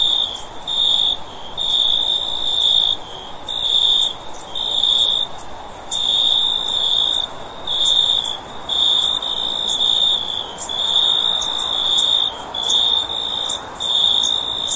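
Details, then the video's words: Cricket chirping in bursts of a high, steady tone, each one to two seconds long and separated by short pauses. Faint sharp ticks sound higher above, over a soft background hiss. "Cricket Sound For Sleep"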